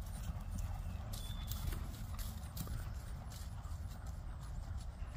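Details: Friesian mare under a rider, hooves striking in a run of crisp clicks through the middle seconds, set against constant deep rumbling noise from the ride.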